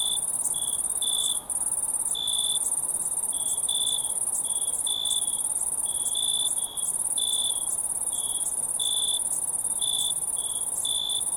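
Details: Crickets heard in the wild as a crowd, with an unbroken high shrill trill plus frequent short and longer chirps overlapping at a brisk, irregular pace.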